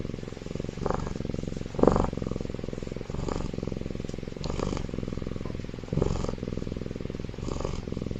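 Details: Baby tiger asleep and comfortable inside an incubator, snoring loudly: soft breathy rasping bursts recurring roughly every one to one and a half seconds over a steady low mechanical hum.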